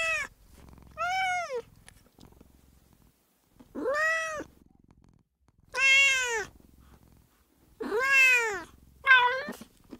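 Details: Margot, a female pet cat, gives four drawn-out, arching meows and a short final one, roughly two seconds apart, meant to attract cats; quiet room background.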